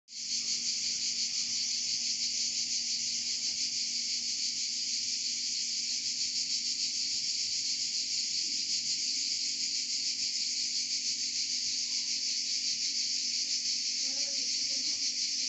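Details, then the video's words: Cicadas singing in Provence: a dense, steady, hissing buzz that holds unbroken for the full fifteen seconds with a faint shimmering pulse and no pauses. "Chant des Cigales en Provence"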